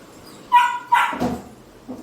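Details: Labrador Retriever giving one short bark: a steady whine-like tone leads into a sharp, rough burst about half a second later, then quiet with a faint low sound at the end.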